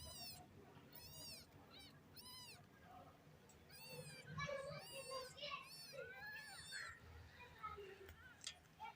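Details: Kittens meowing in a funny compilation: a run of high, arching meows repeated in quick succession, several overlapping, with human voices and children's chatter in the background.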